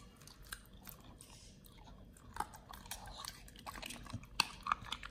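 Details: Nomyen the Pit Bull on a raw BARF diet chewing through raw quails, close ASMR recording: uneven crunches and wet bites about three per second, with sharper cracks of bone near the end over faint room noise.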